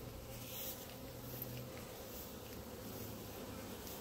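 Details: Outside the hives, a grass-bound clump of honey bees produces an even, unbroken hum, low and constant throughout, with faint background rustle.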